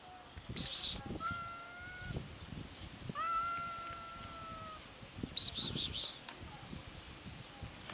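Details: Hungry cats, regularly encountered, give two moderately faint meows that rise slightly and hold steady before dropping, amid rustling and brief scraping bursts.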